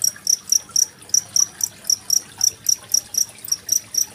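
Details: Chirping cricket and trickling water, 25 February 2023, meant as training material for contest songbirds like magpie-robins; piercing high pulses come about four each second, fairly regular, backed by a quiet rush of water.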